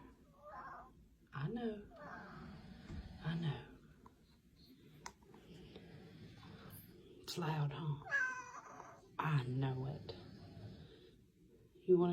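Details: Domestic cat yelling in its sleep during nightmares, indoors: several loud, low, drawn-out yowls with harmonic wails, spaced a few seconds apart, while a person talks soothingly throughout about how loud it is.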